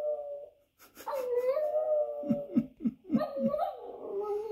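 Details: Dog heard howling on a TV screen while a Boston terrier looks on: a sustained, slightly wavering tonal howl, with a quick series of about five short low yelps near the end and the howl carrying on over them.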